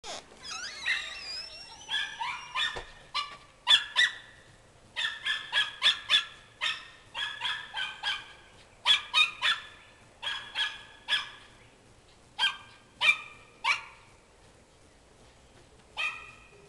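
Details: Several Schnauzers let loose out the back door, chasing squirrels in the yard: a rapid volley of sharp, high barks and yips, many overlapping, with a brief whining slide at the start.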